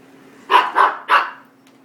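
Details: Five-month-old female miniature goldendoodle puppy barking at a vacuum cleaner indoors; three quick sharp barks in a rapid burst, with a steady low hum in the background.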